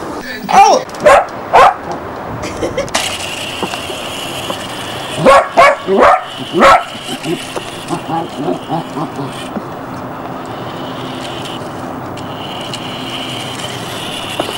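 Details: Border Collie puppy named Jessy, filmed January 1994 in Barsbüttel near Hamburg, giving two clusters of sharp, yappy barks, three or four in each burst, mixed with people talking over a steady background hum.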